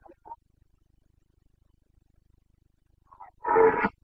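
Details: A Carpathian stag in Bucovina, Romania, roars in the rut on 29 September 2022. Faint short calls at first, a long silent stretch, then a sudden loud, coarse bellow lasting about half a second.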